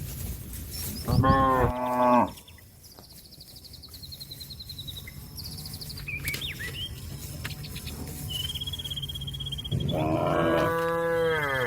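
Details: A cow moos to call a grazing companion back to its barn. Two long, deep, harmonic moos open and close the recording, with high chirping birds and a low rural hum between them.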